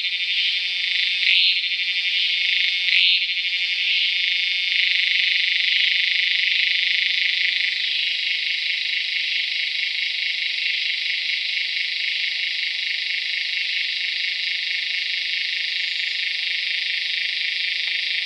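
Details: Tacua speciosa cicada calling in Peninsular Malaysia on 11 May 2014: a loud, continuous high-pitched drone with a fast pulsing buzz, steady throughout with a slight drop in intensity partway, no other sounds clear.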